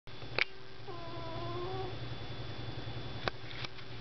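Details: Domestic cat asleep on a desk indoors, snoring heavily: a steady low rumble runs throughout, topped by a short whistled nasal tone that wavers for about a second, with a few faint clicks around it.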